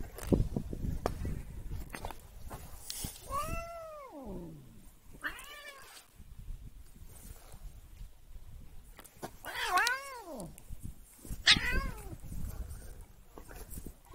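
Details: Domestic cat meowing while being deliberately annoyed. It gives drawn-out, wavering meows that rise and then fall, with several spaced cries over about fourteen seconds and faint rustling and handling noise between them.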